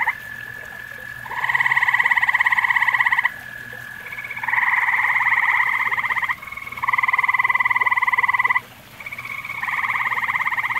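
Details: Grey tree frog at a pond shared with common toads, giving loud pulsed musical trills lasting about two seconds each. Several calls overlap or follow closely, with a steadier tonal call running between them.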